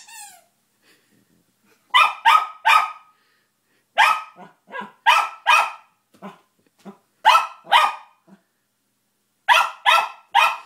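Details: Bentley the dog, faced with his new squeaky toy, lets out loud clipped barks in pairs and triplets, mixed with softer short yips and a faint squeak at the start, pausing briefly between bursts.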